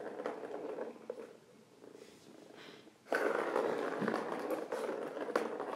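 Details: Close-up purring of an indoor kitten on a 21 October 2017 stream: a continuous rough, rasping rumble, softer and uneven over the first three seconds, then suddenly louder and steady for the rest, with faint room noise.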